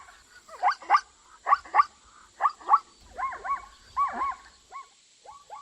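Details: Zebra giving hoarse, rising yelps in pairs, followed by arched, wavering honking notes that bend up and down, then shorter clipped yelps fading off; a constant thin high whine sits in the background.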